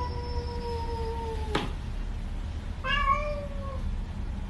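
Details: Domestic cat meowing twice: a long, slightly falling tonal meow lasting over a second, a sharp click, then a shorter, brighter meow that rises and falls, over a steady low background hum.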